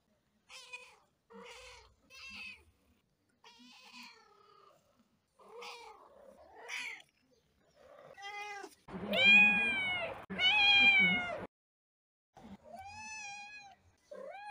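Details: Domestic cat making soft, short meows at first, then two long, loud, drawn-out wailing meows in the middle, ending with a few clear rising and falling calls.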